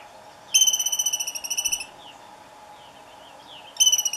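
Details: Franklin's ground squirrels locked in a fight at Douglas Regional Park, July 30, 2018, around 8 in the morning. A pulsing, high-pitched whistled trill lasts over a second, then a second trill starts about three seconds later.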